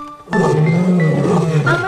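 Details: Lion. A lion gives a low, throaty roar that rises sharply and then rumbles on without a break. Music plays over the sound, and there is a faint trace of a voice.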